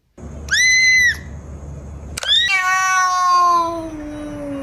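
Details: Frightened pet cat gives a short, steady, high meow, then after a brief pause a longer harmonic wail that starts high and slowly slides downward, drawn out over two seconds; faint music in the background.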